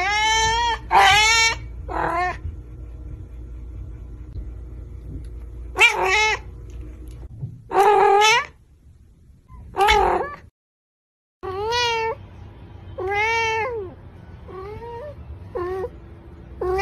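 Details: Pet cats recorded closely while seeming to talk to their owners, giving about nine short harmonic meows in irregular bursts, some doubled, others rising then falling, separated by quiet gaps and a steady low background hum.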